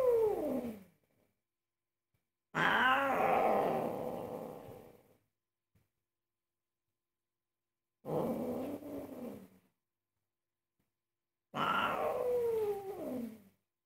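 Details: Very angry house cat protesting against cooking: four loud bursts of raspy, growling yowls, each sliding downward in pitch, separated by quiet gaps of a few seconds.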